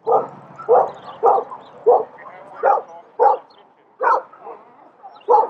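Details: Norfolk Terrier barking: nine short, sharp barks in about five and a half seconds, spaced roughly half a second to a second apart, with quieter gaps between and a faint murmur in the background.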